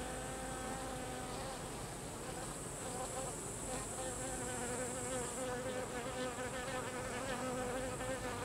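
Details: Hive of Carniolan honey bees during the expulsion of drones by workers; continuous swarm-like buzzing, several overlapping wing tones drifting up and down, with a steady high hiss above.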